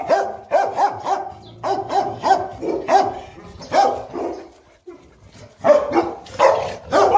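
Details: Playing Boerboel couple Enzo and Diva, South African Mastiffs kept in Egypt; a long run of quick, rhythmic barks, several in close succession, broken by a brief lull before another flurry.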